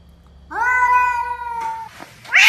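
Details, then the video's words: Cat call when two cats meet: a single sustained harmonic yowl, level and steady for over a second, then fading, with a sharp noisy burst closing it. "weird cat sound compilations | when two cats meet"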